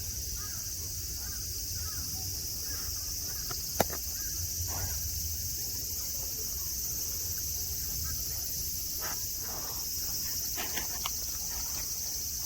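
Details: Cicadas droning at Nara Park, Japan, among friendly deer under a blue sky with green mountains and grass: a steady, unbroken high-pitched buzzing hum throughout, with a few faint clicks and a sharp tap near four seconds.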